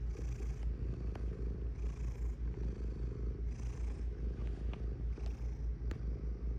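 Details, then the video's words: Purring cat heard up close, a deep rhythmic rumble rising and falling about two and a half times per second, with occasional soft hissy breaths and light clicks. "Purring Cat"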